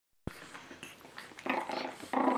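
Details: Eight-week-old Pekingese puppy indoors in a small room: after a sharp knock, brief tonal whimpers and squeaky yelps with clear harmonics, the loudest near the end, over a quiet background.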